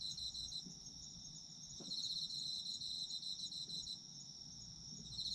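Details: Autumn insects calling together in a sleep-oriented recording: unbroken high-pitched trilling with quick regular beats, louder from about two seconds on, with a faint tick near the two-second mark and low murmur underneath.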